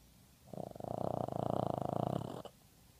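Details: A female Boston terrier from Seattle snores with one long, rattling, low breath lasting nearly two seconds.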